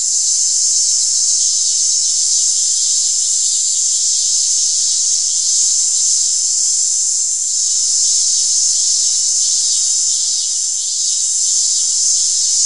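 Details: Continuous shrill cicada drone, dense and high, swelling slightly and easing at moments but never stopping across the whole stretch.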